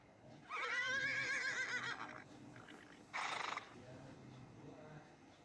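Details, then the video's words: Horse neighing, played as an example in a Hindi-language lesson: a high, shaky whinny lasting about two seconds and wavering in pitch, followed by a short snort-like burst, then quiet. "हिनहिनाता है। घोड़े की हिनहिनाहट।"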